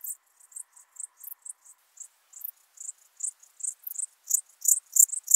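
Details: Alpine dark bush-cricket from Berchtesgaden, Germany, recorded 6 September 2018 via ultrasound detector, giving a brisk series of thin, high-pitched chirps, nearly three per second, strengthening gradually toward the end.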